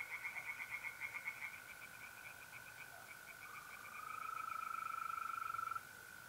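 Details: A softer, more distant burst of quick pulsed croaks from tree frogs in a north-east Italian pond on a mid-April night, fading into a continuous high trill of mole crickets that swells near the end.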